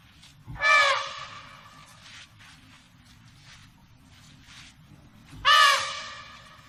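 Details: Two loud, harmonic bursts from an African elephant, about five seconds apart, each rising sharply and then trailing away. A steady low rumble of background noise continues between them.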